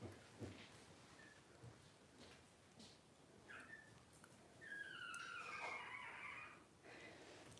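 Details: Newborn Cavalier King Charles Spaniel puppies from blenheim and tricolor litters born September 2022, in a monitored whelping space on 28 September 2022. Brief high squeaks come first, then a longer wavering, rising-and-falling whine near the end of a quiet indoor scene.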